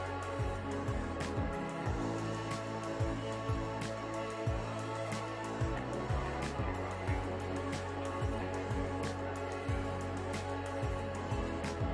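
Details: Soft, steady instrumental music with a repeating low plucked pattern and no animal sound.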